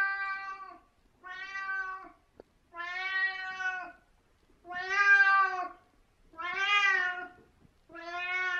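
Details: Merlin, a very talkative 17-year-old cat, indoors in the morning: six long drawn-out meows with clear harmonics, each close to a second, spaced about every one to two seconds, with a faint thump between calls.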